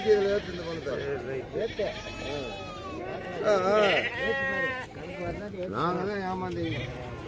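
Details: Bleating goats fill the Friday goat market at Morpalayam in Namakkal. Quavering calls overlap, with a louder burst around the middle, amid steady human chatter.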